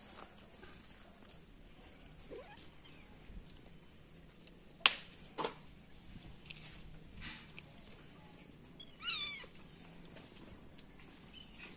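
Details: Stray cat being tamed with wet food, helped by friendly tamed cats and kittens; one short, high, wavering meow late on, preceded by sharp clicks and handling knocks over a quiet background.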